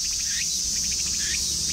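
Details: A cicada in a Japanese park in summer, by day near a pond with cattails, sings a high, steady buzz broken by rapid pulsed phrases and birdlike upward-sweeping chirps, then falls silent as a person approaches.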